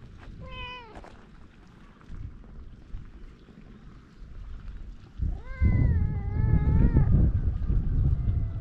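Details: Feral cats on a Japanese cat island, filmed with a GoPro: one short falling meow with bright harmonics, then after a quiet pause a longer, louder drawn-out meow that wavers and slowly fades, over steady low outdoor rumble.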